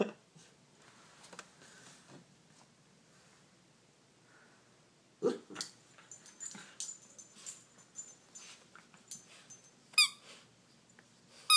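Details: Pet dog playing with a bird-shaped squeaky toy, seemingly frustrated at being unable to get the squeaker out, making new, unusual noises: a quiet start, then scattered short, irregular vocal bursts and rustling, with a sharp squeak near the end.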